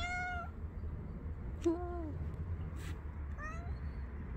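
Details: Angry cat meowing adorably: a long falling meow, then a click and a lower drawn meow, and a softer meow near the end, over quiet low rumble.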